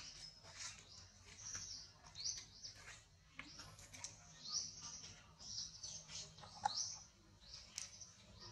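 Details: Tiny infant monkey gives repeated high-pitched rising squeaks at uneven intervals, several brief peaks standing out, with a couple of soft clicks and a low steady rumble beneath.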